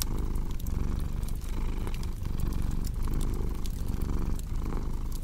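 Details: Cat purring with a crackling fireplace in a relaxing sleep mix: a thick low rumble rising and falling in breath-length waves just under a second apart, overlaid by frequent sharp crackles of burning wood.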